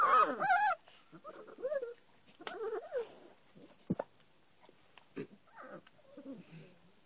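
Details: Puppies with their mother dog at a house, a cluster of quavering high whimpers at the start followed by scattered short yelps, thumps and rustling, with quiet gaps between calls.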